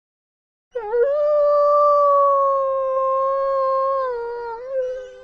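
A single wolf howl swoops up quickly, then holds a long, smooth, mid-pitched note for about four seconds. Near the end it wavers slightly down and up before fading out.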